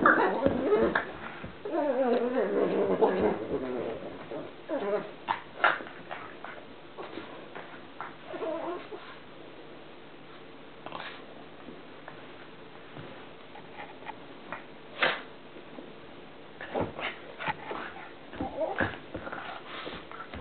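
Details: During play, the pug Columbo gives an odd warbling, wavering whine at first, then sparse snorts, grunts and small squeaks separated by quieter stretches.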